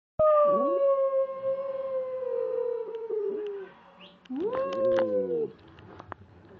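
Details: Pet dog howling indoors: a long, clear tonal howl slowly falling in pitch for about three seconds, a pause, then a second shorter howl that rises sharply and levels off.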